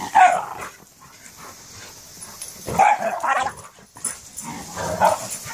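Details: Two schnauzers, a giant and a miniature, romping in play. Three short, harsh bark-growl bursts land roughly every two and a half seconds, each rough and mid-pitched, separated by quieter shuffling and hiss.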